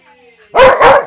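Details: Snoopy, a 5-year-old Manchester Terrier mix with a huge voice, gives two loud, harsh barks in quick succession while playing rough with Jude, a 3-month-old husky lab mix puppy, indoors. It sounds aggressive but is harmless play.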